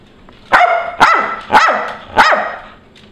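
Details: Backyard dogs on June 30, 2011 barking at a squirrel perched on an electrical high wire, captured on a Nikon D7000: four loud, sharp barks about half a second apart, each with a quick fading tail.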